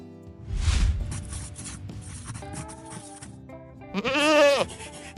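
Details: Goat giving a single loud, quavering bleat near the end, wavering and falling in pitch, after a stretch of backing music with a drum hit and sustained instrumental tones.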